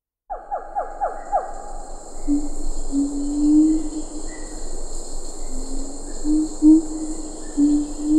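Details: Siamang calling in Ketambe Forest, with a few lar gibbons in the background: a quick series of falling hoots opens, then long low booming notes, over steady insect hiss.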